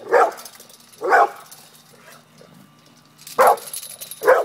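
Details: Pit bull barking while confronting a cat: four loud, short barks, two close together at the start and two more after a pause of about two seconds.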